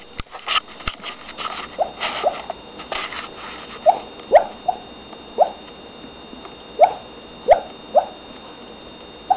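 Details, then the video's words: Female dog barking in her sleep: roughly nine soft, clipped yips at irregular gaps, muffled and brief, with rustling and scattered clicks during the opening seconds. "Dog Barking in sleep"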